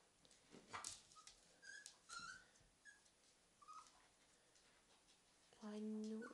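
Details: A male Cavalier King Charles Spaniel puppy gives soft, thin, high whimpers, wanting to be let up onto the couch with the other dogs.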